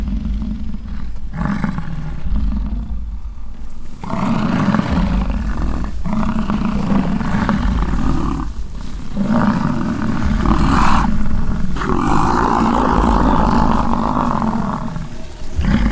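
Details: Rutting American bison fighting on a ranch in Fort St. John, British Columbia, Canada: a series of long, deep, throaty roars, each lasting one to three seconds, separated by brief pauses, with harsher growling overtones and a low rumble underneath.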